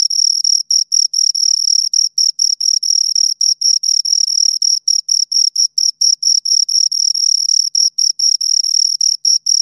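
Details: High, shrill stridulation from two crickets, long runs of rapid pulses with short uneven breaks as their calls interleave; a clean recording with no other sounds.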